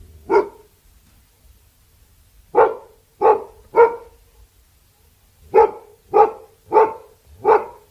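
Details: Labrador Retriever giving one bark, then a triple burst of barks, then four more in quick succession; each bark is short and strong against a quiet background.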